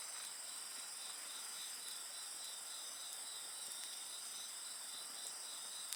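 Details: High, even insect song fills the air as a ceaseless shimmering buzz with pulsed trilling, accompanied by frequent small crackles of a wood fire and one sharp pop at the end.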